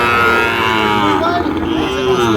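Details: Sahiwal bull calves at the Ambari cattle market, Parbatipur, Dinajpur, on 30 March: a long, richly harmonic moo holding steady for about two seconds, with traders' voices and market hubbub underneath.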